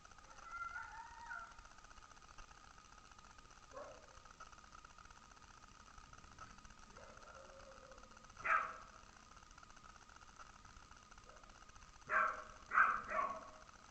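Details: A Labrador Retriever gives a few sharp, sudden barks in reaction to a weird noise, along with other dogs coming out barking.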